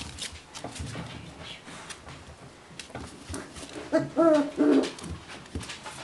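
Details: Young beagle puppies, four weeks old, heard indoors; a quiet stretch of rustling and clatter gives way to a clear, rising-and-falling whine lasting under a second near the end.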